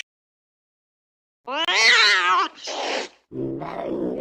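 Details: Angry cat: after silence comes a loud, wavering yowl, a short breathy hiss, and then a lower, rough growling snarl.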